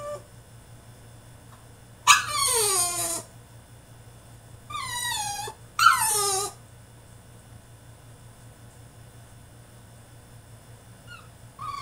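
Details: French Bulldog in his cage throwing a tantrum: three falling whimpering cries, each about a second long, spaced by a few seconds of near quiet, with faint squeaks at the end.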